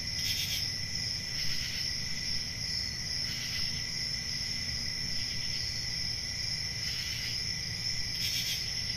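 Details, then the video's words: Chorus of crickets on a calm country summer night near forest, unbroken high trilling layered with rhythmic brighter pulses recurring every second or two, over a faint low hum. "10 Hours Relaxing Cricket Sounds For Sleep | Ambient Summer Night"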